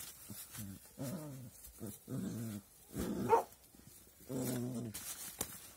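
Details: Puppies giving low, harmonic growling grumbles in short bursts about every second, quiet and close, with a faint higher whine in the middle.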